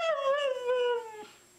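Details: Siberian Husky making a talking vocalization that sounds like "I love you": one sustained, wavering, howl-like tone with rich harmonics, rising slightly then sliding gradually downward over about a second and a quarter before fading.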